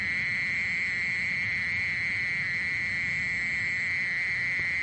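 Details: Mole cricket song: an unbroken, steady high buzzing trill with faint overtones above it, holding an even pitch and loudness throughout, over a soft low rumble.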